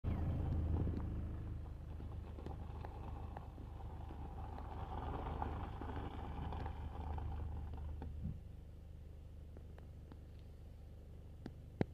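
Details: A steady low engine rumble from a vehicle fills the recording, with a few faint clicks and taps near the end.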